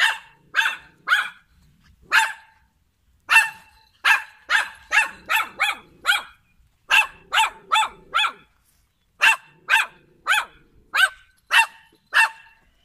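A poodle barks in sharp, high yaps, often doubled or tripled in quick bursts.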